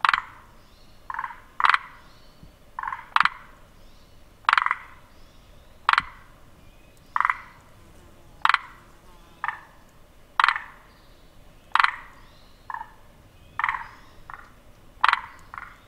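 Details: Forest green tree frog giving regular grating croaks about every one and a half seconds, each a short pulsed burst as the throat swells three times, with crisp clicks in between.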